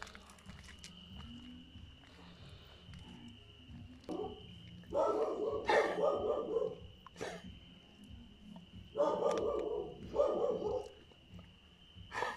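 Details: Dog barking on a summer night in a garden, two bursts of rough, harsh barks in quick succession, each lasting about a second, over a steady high-pitched whine and low background rumble.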